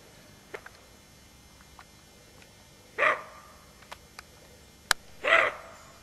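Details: A roe deer doe on alert with her fawn gives two hoarse, gruff barks a couple of seconds apart, an alarm call.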